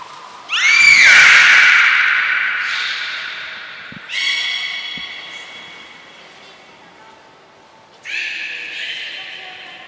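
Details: Beluga at Port of Nagoya Public Aquarium during a training session, individuals Gray and Mirai, 15 June 2022: a loud harmonic whistle rising then arching down, followed by two shorter flat harmonic calls, indoor hall echo.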